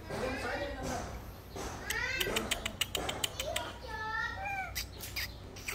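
Philippine long-tailed macaque giving tonal, squealing calls that rise and fall, with sharp knocks between them.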